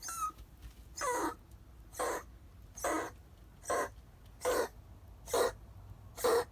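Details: Gray female cat, unwell and acting strangely, in a storage room, giving short, harsh, puppy-like yelps: eight rasping bursts spaced about one second apart, with quiet pauses between them.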